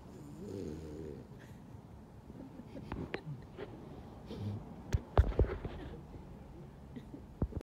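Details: French Bulldog. Low, gravelly snorting and snuffling from a French Bulldog rumbles on and off throughout. A man speaks briefly near the start, and a few sharp knocks and clicks come later.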